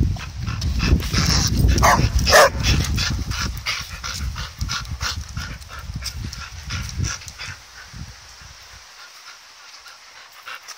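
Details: Playing with a ball, the dogs Jed and Kal let out a few sharp, ringing barks in the first seconds over rumbling noise, then the sound fades to near quiet by the end.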